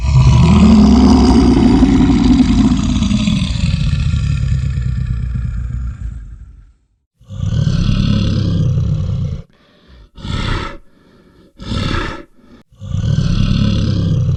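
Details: Brown bear roaring: one long, loud, rough roar holding for about six seconds with a low rising tone, then a short pause and several shorter harsh roaring bursts in quick succession.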